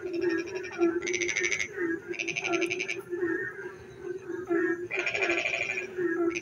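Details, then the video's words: Rainy-night frog song in a village: constant low pulsed croaking with three harsh, rattling trill bursts standing out above it, separated by quieter stretches of mixed chirps. "frog singing in the dark night when it rains"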